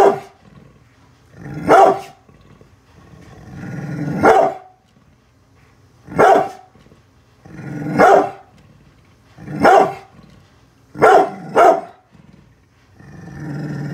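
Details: Brindle pit bull Bullet, unhappy with construction workers outside the house, lets out a steady series of deep barks, roughly eight, some in quick pairs, linked by low rumbling growls.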